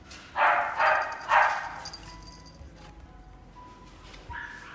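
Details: Female white-and-gold Shih Tzu born in 2018 yapping three times in quick succession, then quiet with faint tonal background hum.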